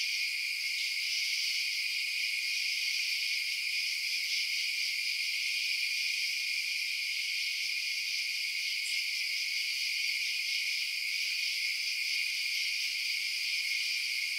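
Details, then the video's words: Night chorus of crickets forms an unbroken, even, high ringing trill from many callers, with stacked shrill bands, constant loudness, and a single faint tick partway through. "Night Sounds Crickets Chirping"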